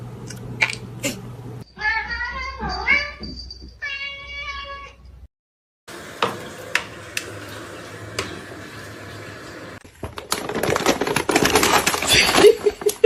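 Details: Kitten meowing indoors: several short, rising-then-falling meows in a quick series early on, followed by rustling, clattering handling noise and background chatter.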